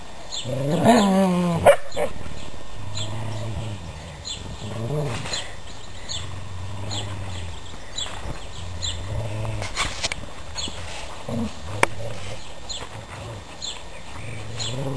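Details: Pet dogs playing tug of war with a sock give a sharp yelp-like bark, then low drawn-out growls in repeated rumbling bursts, with birds twittering outdoors throughout and a few clicks and knocks.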